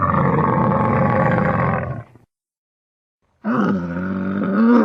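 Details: Camel vocalising: a two-second deep, gurgling, rumbling roar, a pause of silence, then a rising, wavering harmonic bellow.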